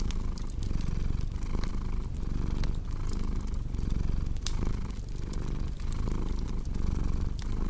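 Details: A domestic cat purrs steadily beside a crackling fireplace, a deep low rumble pulsing in breath cycles of under a second, with sharp wood pops and snaps scattered over the top.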